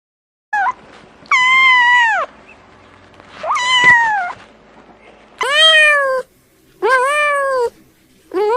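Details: Domestic cat, its call likened to laughter, gives five loud, level meows, each about a second long with a short rise at the start. The meows are spaced by quiet pauses, with a faint thump midway.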